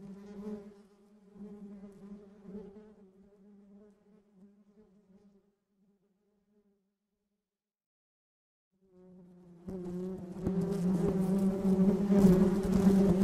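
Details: Bees hum faintly and unevenly at first, then fade to a few seconds of silence. A loud, full buzzing drone rises sharply and fills the remaining seconds.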